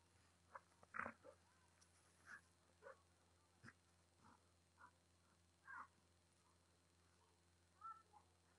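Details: A Golden Retriever named Aldo gives short, scattered grunts, whines and soft growls while having fun playing with his "tiger girl".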